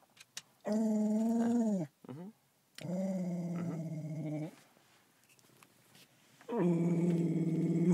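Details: Pet dog in a car, upset at dogs far away: long drawn, tonal whines with clear harmonics, three stretches of one to two seconds each, with quiet gaps and faint clicks between.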